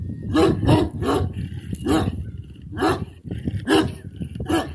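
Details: Kangal puppy on a breeding farm, barking in short, hoarse, broadband bursts roughly every second, with faint voices and background noise.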